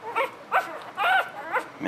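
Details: Newborn puppies from a litter of eleven, seven males and four females, handled for close-ups; a run of high, rising squeals and whines, each about a quarter second long and repeated roughly every half second.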